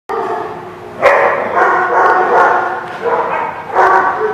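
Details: Dogs recorded 3/6/17 giving rough, harmonic barks and drawn-out yelping calls in dense overlapping bursts, with loud onsets near one second and again near four seconds.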